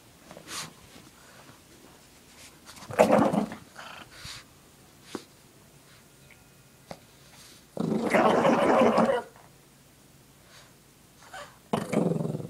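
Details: Shih Tzu dog playing with a pink puppy blanket, shaking her head back and forth: bursts of rough, throaty growling, the longest lasting over a second, between rustling and quiet gaps, with a woman calling the dog.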